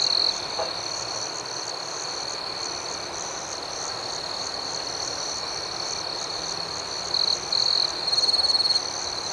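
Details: Dense night chorus of crickets, an even high-pitched trill with a quick pulsing overtone, joined toward the end by several short, louder chirping bursts between seven and nine seconds.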